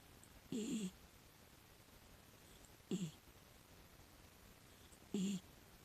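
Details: Six-year-old female rescue miniature dachshund asleep, snoring: three short, rough, low breathy snores about every two and a half seconds, each with a faint hiss above, in quiet surroundings.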